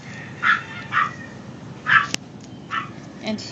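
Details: Maltese puppies, male and female littermates of a tiny toy type, in a home litter: five short, high yips come at uneven half-second to one-second gaps over a low background hum.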